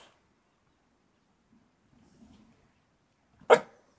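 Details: Missy, a pet Staff (Staffordshire Bull Terrier) dog, lets out one sharp, loud, broadband bark near the end of a mostly quiet stretch, preceded only by faint low rustling.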